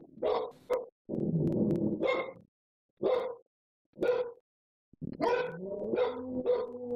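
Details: Dogs left home alone, misbehaving while their owners are away, vocalising: short sharp barks and yelps separated by pauses, then overlapping drawn-out howling tones that waver and rise, several voices together.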